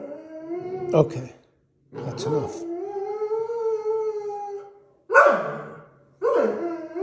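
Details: Indoor howling from a Deutsch Drahthaar puppy during quiet training: a short yelp, then a long, steady, slightly rising tonal howl held about three seconds, followed by two abrupt yipping barks.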